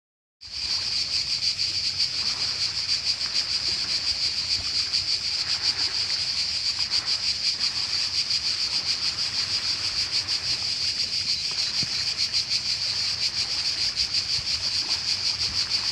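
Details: Cicada singing in summer in Croatia by the sea: a continuous dense, hissing buzz with a fast shimmering pulse, steady throughout after a sudden start, over a soft wash of waves.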